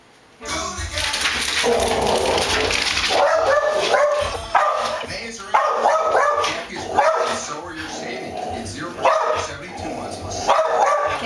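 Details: Puppy barking at a rival dog appearing in a television commercial, reacting to the advert's music; repeated sharp barks come every second or two over the loud commercial music and voices.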